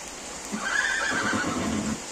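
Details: Horse at a horse farm with stables and training grounds, giving one drawn-out, high, quavering whinny that lasts just over a second, then fades out, over a steady low background hum.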